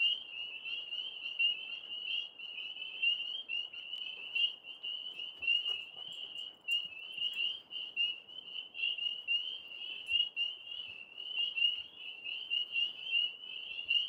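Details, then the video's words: Outdoor frog chorus in the background, a continuous high buzzing trill at an even pitch for the whole stretch, with a few faint clicks and taps behind it. "Dogs & Frogs Nature Sounds Live"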